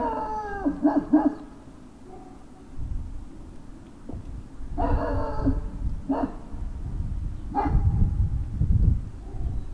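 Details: Great Danes at Puppy Hill, evening of February 19, 2019: several high, harmonic whining yelps sliding downward, the first cluster quick and stacked, then three shorter cries spaced about one to two seconds apart over low rumbling background noise.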